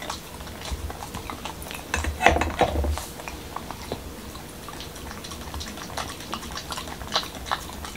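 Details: Momo, a male Corgi in Washington DC, eats a dog-friendly taco of whole wheat shell, cucumber and lean ground beef: wet crunchy chewing clicks in irregular bursts, a louder cluster of bites near the middle, quiet indoor room.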